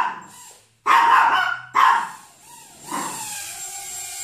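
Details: Chihuahua barking at a hovering Hubson X4 quadcopter. Two loud, clipped yaps follow each other within a second, then the drone's steady electric whine takes over.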